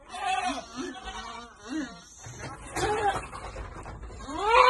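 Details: Goats receiving vitamins at Amang Victorio Goat farm let out short wavering bleats, a few in quick succession at the start and a rising one at the end, with handling noise and low voices between.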